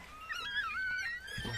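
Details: Newborn Chihuahua puppies, part of a litter of seven, during the birth indoors: a faint, thin, wavering whine that rises and dips for about a second, with soft room noise underneath.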